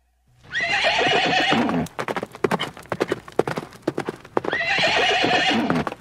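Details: Horses outdoors in nature: a long shaky harmonic whinny falls in pitch, then a rapid run of hoofbeats, and a second quavering neigh closes the sequence.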